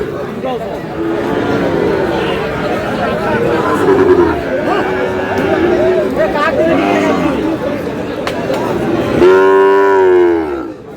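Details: Sahiwal bull calves at Aftabganj cattle market, held Saturdays and Tuesdays, recorded on a Tuesday, 19 May. Steady crowd chatter and haggling voices, then a loud drawn-out harmonic bellow near the end.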